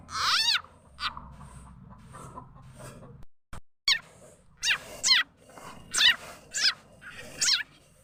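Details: Frog call used as a lure for catching birds, chickens and other fowl: short bright chirps with stacked harmonics, each sweeping down then up, repeated about every half second after an opening call, with a low rumble early on.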